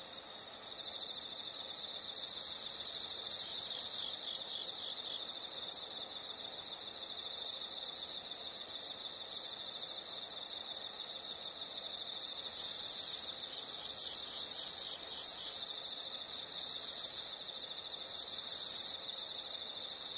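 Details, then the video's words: Nature-sound insects: soft, rapidly pulsed high chirping runs throughout, broken by loud sustained high trills lasting one to two seconds, several in the second half. "the sound of insects"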